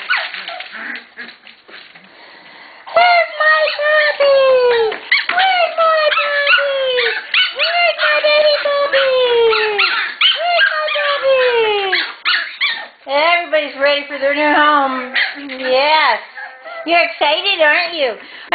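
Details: Excited Shetland Sheepdog puppy play in a litter readying for new homes: a long run of high, falling whines and squeaky yips repeated almost three times a second, then wavering whimpers, while a woman's voice encourages them.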